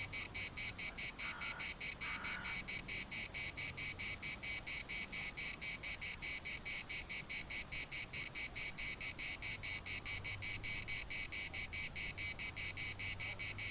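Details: Cicadas singing together in Larnaca's municipal park, a dense shrill buzz beating in quick regular pulses without pause; two short lower calls break in early on, over a soft rumble of wind.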